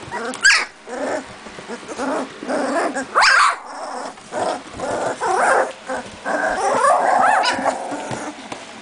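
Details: Two-and-a-half-week-old Doberman puppies playing together; scattered short yips and squeaks with low grumbling growls, one longer wavering whine near the end, sounds spaced irregularly over a quiet background.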